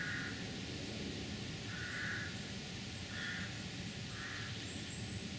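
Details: A roe deer doe in a Surrey woodland gives short, hoarse barks, evenly spaced about once a second, over steady background hiss.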